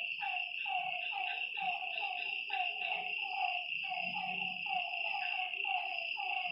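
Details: Night frogs at a lake, giving rhythmic descending croaks about every second with overlapping callers, set against a constant shrill insect drone and a faint low hum.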